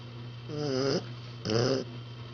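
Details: Sleeping puppy snoring indoors: two drawn-out nasal snores about half a second each, with a wavering, slightly squeaky harmonic tone, separated by a quiet pause with a steady low hum behind.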